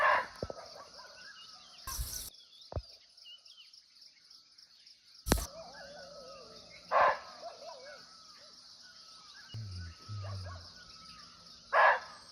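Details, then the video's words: Barking deer (muntjac) in natural forest in Nepal, recorded live from close by: abrupt, harsh single barks, each separated by about five seconds, over a constant shrill insect chorus, with a brief low rumble. "Real Barking Deer Call"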